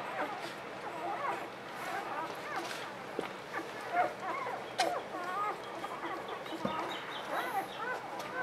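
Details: Newborn puppies, described as hungry, give thin high squeaks and whimpers, each a short rising-and-falling note in loose overlapping bursts, with soft human voices and a few handling knocks behind them.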